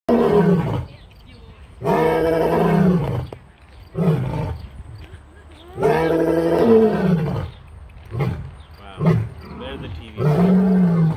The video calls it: Beautiful Roar of the Majestic Lion